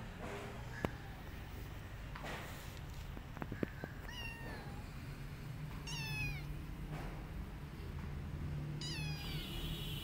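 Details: Rescued street kittens, described as very choosy in eating, give several high thin meows with stacked harmonics, some sliding down in pitch, spaced a few seconds apart over low steady background rumble and occasional clicks.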